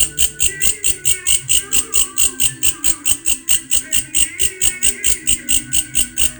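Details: A grasshopper producing an odd insect call: steady, rapid pulses of high buzzing, about three to four per second, evenly repeated throughout, with faint low background noise.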